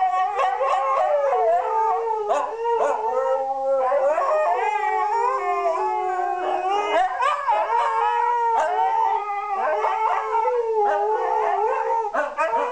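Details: Daily duet by two Siberian Huskies, who enjoy this routine: continuous intertwined howls, one voice holding a lower steady tone while the other warbles and bends higher, with short yipping breaks.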